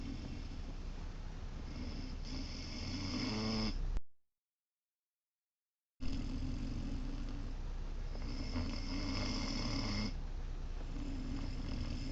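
A sleeping Great Dane puppy snores in low, rumbling breaths with a raspy, snorting edge.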